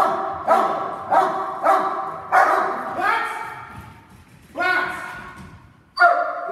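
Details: Dogs in protection training doing a synchronised hold and bark: a series of loud, ringing barks roughly every second, followed by a short lull, then two more separate barks.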